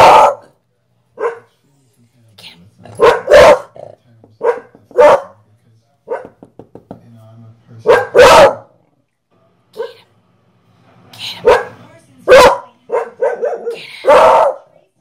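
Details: A 3-year-old male mini beagle with a skin condition gives loud, irregular barks and drawn-out baying howls, with a person's voice now and then.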